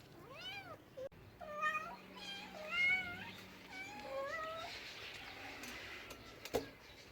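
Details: House cat producing a quick series of chirpy, wavering meows, several short trilling calls run together, followed by a click and a brief sharp knock near the end.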